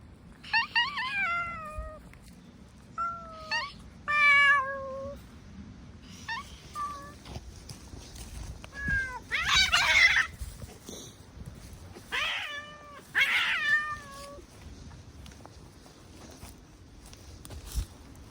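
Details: Stray cat, a brown tabby, giving a series of harmonic meows and drawn-out wails, some short and falling, others loud, rising and strained, with pauses between calls against a low background rumble.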